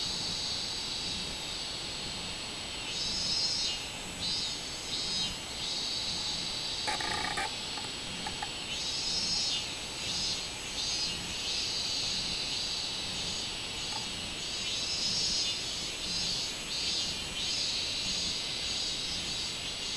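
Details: Robust cicada singing on 24 July 2016, a shrill high-pitched drone that pulses in waves every second or so, with a short harsh rattling burst around the seventh second.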